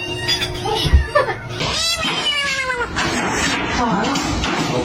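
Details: Domestic cat giving drawn-out, wavering meows with arched rising-and-falling tones near the middle, mixed with people talking and music playing underneath in a noisy room.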